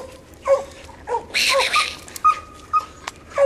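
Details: English coonhound pup in a training session around a raccoon hung in a tree, with an older dog that treed the raccoon heard in the background; short yelping barks and whines, several rising and falling, scattered over a few seconds.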